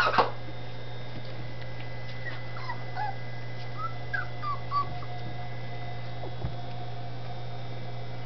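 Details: Dachshund puppies in Campinas, São Paulo, content in their new little house: a loud click, then soft, high whimpers rising and falling in short separate notes over several seconds, with a constant low electrical hum underneath.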